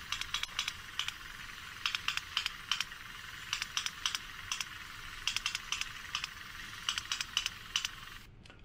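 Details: Sperm whale coda recorded in the Mediterranean, where all whales use it: sharp clicks in sets of three quick clicks followed by a single, the "3+1" pattern, repeated over and over; codas occur mostly at the surface.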